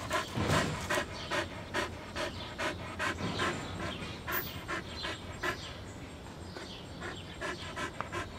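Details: Australian Shepherd, also called the Aussie, panting hard in quick rhythmic breaths, about two to three per second, each a short breathy puff, steady throughout with faint background noise.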